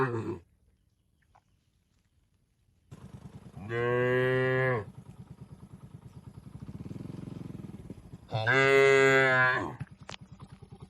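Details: Tame cattle feeding on grass in an oil palm plantation in Indonesia. The tail of one moo, then two full, rich moos roughly four seconds apart, over a low continuous rumble.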